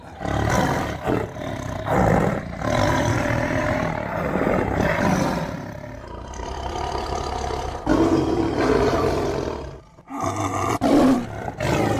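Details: Roars credited to a tiger: continuous gravelly bellowing with swelling and fading intensity, a short silence near the end, then more rasping roars.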